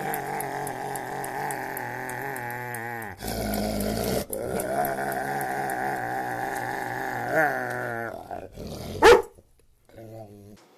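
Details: Pet dog, excited over a piece of bread, makes long wavering growl-whines that rise and fall like talking. The sound is broken by a short gap, then a sharp squeak, and quieter whines trail off at the end.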